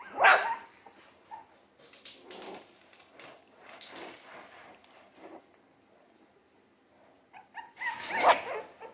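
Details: Loud sharp yelping barks from three-week-old Jack Russell Terrier mix puppies open and close the stretch, separated by several seconds of soft scattered whimpers and rustling.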